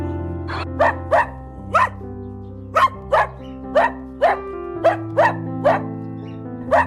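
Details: Dog giving loud, clipped barks, roughly thirteen in under seven seconds, some in quick pairs and others spaced singly, with continuous music playing underneath.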